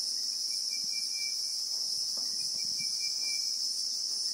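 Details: Christmas beetle (Anoplognathus) calling in South African bushveld, real-time recording: an even, piercing high drone with no breaks, a faint thin whistled tone, and scattered soft low rustles.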